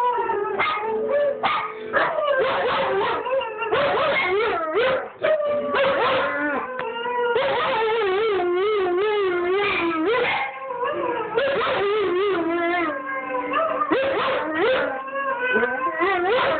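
A dog sings in drawn-out, quavering howls that slide up and down, sometimes breaking into whimpering notes. Another recorded dog voice and faint music seem to overlap with it throughout.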